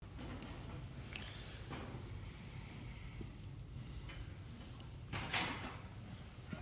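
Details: Quiet indoor knocks and a door or drawer sliding, with soft distant speech and steady background hiss; no animal sound is heard.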